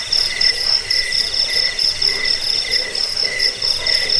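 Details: Cricket chorus used as a rat-repelling sleep sound: dense, pulsing high-pitched trills layered in several bands, beating in rapid rhythmic bursts about four times a second, with a steady shimmering background.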